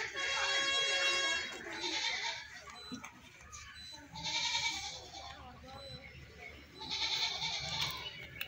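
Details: Goat crying: a long, strained bleat opens, then two more wavering cries follow at intervals of about three seconds, with low murmuring noise between them.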